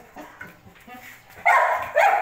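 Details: Belgian Malinois, a mother dog kept with her nursing puppies, gives two loud, sharp barks about half a second apart after soft background murmuring.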